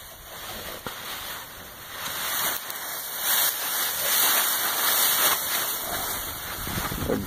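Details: Steady hiss of rustling leaves and wind-like noise, with no animal voice audible.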